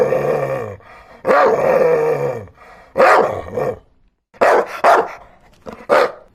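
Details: Dog barking and growling: a drawn-out harmonic growl-whine, then several sharp barks, some doubled, at uneven intervals.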